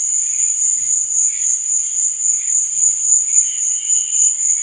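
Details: Night chorus of crickets, an unbroken shrill buzzing trill held at one high pitch, gently throbbing in loudness, with softer scattered chirps at a lower pitch behind it.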